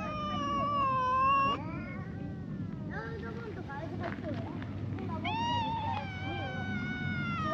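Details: Two cats, a brown tabby and a tortoiseshell, quarrel at a wary distance: long drawn-out yowls with bending pitch, one rising and falling through a sustained wail, then a break and renewed wavering howls over a steady low background rumble.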